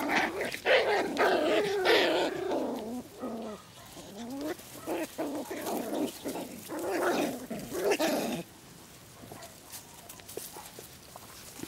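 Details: Six-week-old Poodle puppies, harlequin and black-and-tan, in a kennel garden in Güttingen, Switzerland. Several pups whine and yelp in overlapping, wavering cries that rise and fall in quick succession for about eight seconds, then fade to quieter scattered squeaks.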